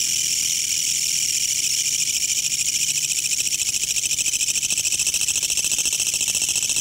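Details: A green Korean katydid, singing around a house late into the night, gives a loud, harsh, rapidly pulsing rattle that runs on without a break.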